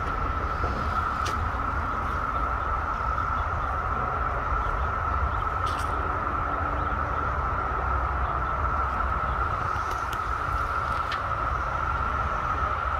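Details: On 2 June 2021, during a second wave when females were emerging, a massed chorus of periodical cicadas, seemingly drawn to a string trimmer's sound, makes a steady, unbroken whining drone at a single mid pitch.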